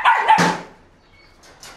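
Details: A Belgian Malinois called Paraluman lets out a quick pair of barks at the start, followed by near silence and a faint click at the end.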